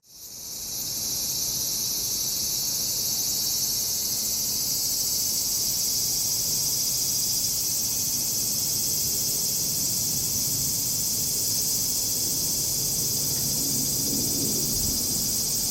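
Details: Loud summer insect chorus at a traditional Japanese house in Japan, swelling in within the first second into a dense, sustained high shrilling that holds steady to the end.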